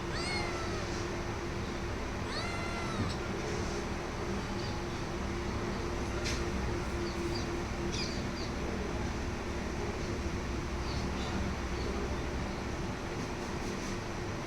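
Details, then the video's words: Cat giving two harmonic meows in the first three seconds, then only faint sounds under steady broadband noise and a low hum. "cat sound"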